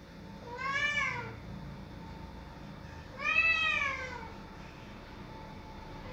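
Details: A domestic cat crying loudly to have a door opened gives two long, drawn-out meows about two and a half seconds apart, each rising then falling in pitch, with a faint hum in the background.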